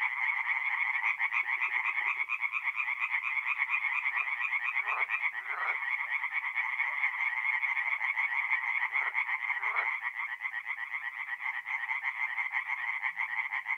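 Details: Night chorus of tree frogs at a forest pond in north-east Italy, mid-April: a constant wall of quick, grating croaks from many frogs, with occasional short lower swooping calls and a faint low rattle early on.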